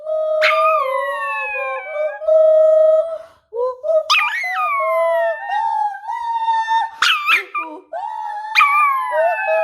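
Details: A puppy singing a lullaby in long, tuneful howls. Each phrase starts with a high, sharp onset and then glides down into a steady sustained note, repeated in several phrases with brief pauses between them.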